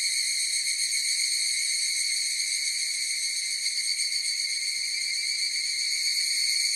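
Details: Massed evening cicada (higurashi) song: a constant bright ringing buzz in stacked high tones, level and continuous throughout, with a quiet hiss beneath and no other animals.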